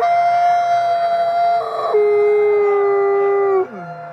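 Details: Captive Canadian/Rocky Mountain gray wolf at a conservation center in South Salem, New York, howling at twilight: a long, pure, steady howl that breaks and drops to a lower sustained tone, then slides down at the end.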